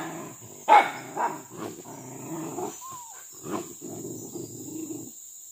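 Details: Pack of village dogs hunting monkeys, which raid fruit gardens, in trees and along a riverbank; sharp barks burst out at irregular intervals, with a brief whining note between, over a steady low droning background.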